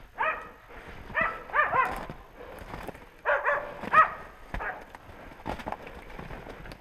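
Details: Hunting dogs baying while working a wild boar during a boar hunt on foot; harmonic barks in clusters of two or three, spread irregularly, with rustling and footsteps between.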